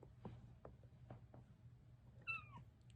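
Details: A Bengal cat hiding under a rug in a closet gives one short, high meow that slides downward near the end.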